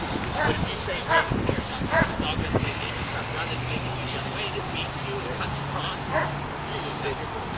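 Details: Young caramel-colored Australian Shepherd herding sheep outdoors: a few sharp, scattered barks in the first two seconds, then a steady low hum. People talk throughout.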